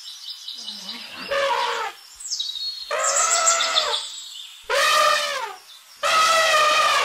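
An elephant trumpets in four loud, brassy blasts, each about a second long.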